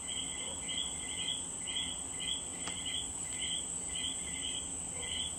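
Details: Common coquí frogs in Puerto Rico repeat their bright two-part "co-qui" call, a short low note stepping up to a higher one about twice a second, over a constant high insect drone.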